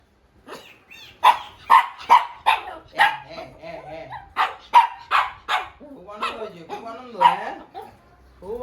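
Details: Shih Tzu dog at a vaccination: a run of sharp barks and yelps, about a dozen in quick irregular succession, some trailing into whiny moans, with a person speaking in the background.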